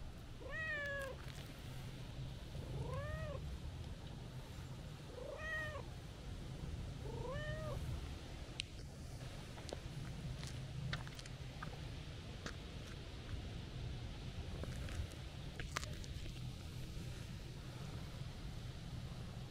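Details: Stray calico cat greeting a person with happy meows: four short arched meows about every two seconds, then quiet with scattered clicks and rustles over low steady rumble.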